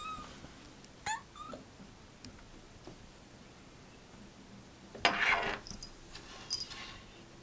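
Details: An 11-month-old kitten making cute noises: a brief rising chirp with a short follow-up near the start, then a louder, harsher burst of sound, with a few faint squeaks after it against a quiet background.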